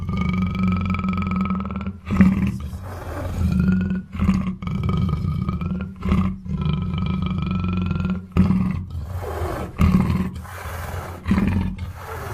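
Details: Repeated throaty, grunting roars from a black panther, roughly forty a minute, separated by short pauses, over a persistent low hum and faint sustained high tones.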